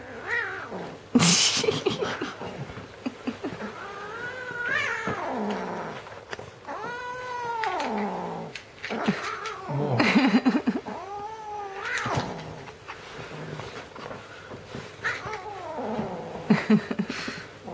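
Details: Teddy, a red point Siamese kitten tricked out of his toy, lets out repeated rising-and-falling yowling growls, each about a second long, between sharp rustles and knocks from handling.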